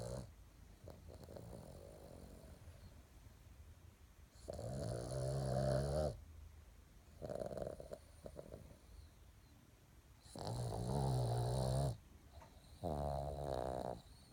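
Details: In the morning a female Boston Terrier snores deeply and loudly. Each snore is a long, low, rattling breath with a buzzy edge, repeating every few seconds at a slow, uneven pace, with quieter wheezy inhalations between.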